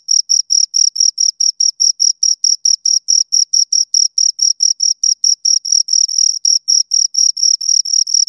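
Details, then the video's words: High, scratchy chirps from a pair of crickets repeat in a fast, even pulse, a few beats slightly run together, heard up close with nothing else around. "Two Crickets Chirp Sounds for Two Hours Right on Your Ears"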